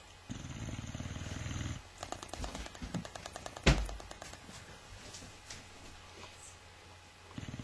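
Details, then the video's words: Dozing Boxer dog gives a low rattling snore, then lip flaps sputter in quick clicks with one louder smack, fading to quieter breathing before the next snore begins. "Boxer dog snoring lips-a-flapping"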